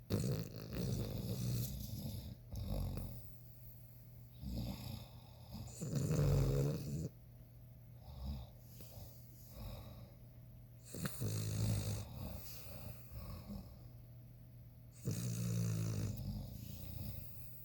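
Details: A male ruby Cavalier King Charles Spaniel (Canis familiaris) in deep sleep with his eyes open snores in low, rumbling breaths roughly every four to five seconds.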